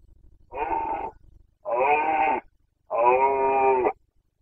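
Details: Rutting boncănit of a Carpathian stag, Bucovina, Romania, breeding season 2021: three long, loud, richly harmonic bellows of about one second each, spaced roughly a second apart, with the last held steadily and strongly.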